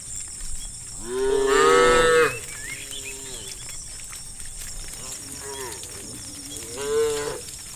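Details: A herd of tame cows being herded toward the field in golden morning light calls to one another: one long, loud, droning moo, then three shorter, softer moos within about seven seconds, over a light steady hiss.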